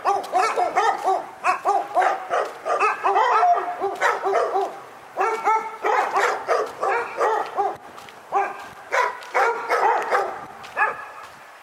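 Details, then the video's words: Dog barking at Pyrga, a persistent barking nightmare: rapid tonal barks in dense clusters, almost continuous for the full length with only brief gaps, each bark ringing with clear harmonics. "Pyrga Barking Nightmare"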